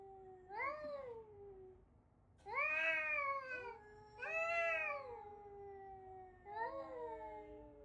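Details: Domestic cat giving four long, clear meows, each a tonal rise and fall with rich harmonics, spaced a second or two apart in a quiet indoor room.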